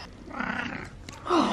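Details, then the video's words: Wally, a pet cat, gives a low drawn-out meow, then a shorter meow that slides downward in pitch. The sounds are close and clear against a quiet indoor background. "Wally has the meows"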